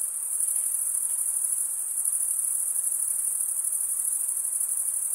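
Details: Crickets chirp without pause, males producing the sound by running one wing over the teeth of the other, giving an even, shimmering high-pitched trill over a quiet low background.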